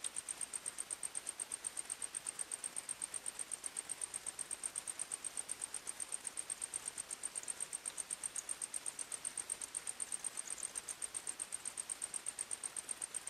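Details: Crickets chirping at night in a forest: a faint, very high, steady pulsed tone, about four pulses per second, over a soft hiss.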